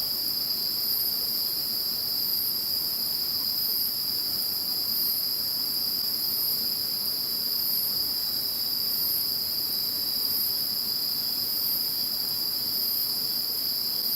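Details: Insects calling after Typhoon No. 21 has passed: a dense, continuous high chorus with steady bright bands of ringing trills, unbroken throughout, over a faint low hiss.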